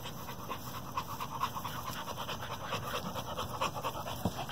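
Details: A four-month-old American bully puppy pants: quick, breathy, rhythmic puffs about twice a second, steady over a low background hum.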